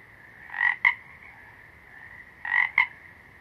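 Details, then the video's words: Frog calls: two paired bursts about two seconds apart, each a short raspy croak followed by a sharp click-like note, with faint background hiss between. "Frogs - Nature Sounds"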